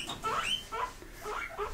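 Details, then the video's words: Pet pigs kept in a house squeak back when asked about grass. Several short rising squeals, the first loudest, then softer, fading calls. "Who Wants Grass"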